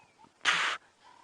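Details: An impala at sunrise on 20 October 2016, on safari, gives a sharp, harsh alarm snort, a brief broadband blast breaking off abruptly; it keeps alarm calling, apparently at a leopard, while other impala largely ignore it.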